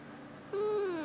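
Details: Nobita the pet cat, a talkative cat, gives a quiet 'kuu' coo indoors: a single soft tonal note of about half a second that gently slides downward at its end, with no other sounds.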